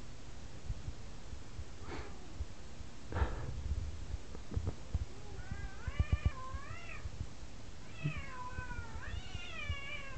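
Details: A spayed female F2 Savannah cat, about 9 months old, gives a run of wavering, drawn-out meows rising and falling in pitch. She calls for attention like this almost every night, along with vigorous face rubbing.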